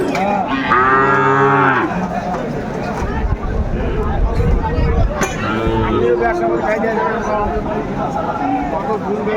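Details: Sahiwal bull calf at a traditional twice-weekly cattle market in Aftabganj, Dinajpur, Bangladesh: a loud, rich bellowing moo lasting over a second, then a second, softer moo several seconds later, amid crowd noise and voices.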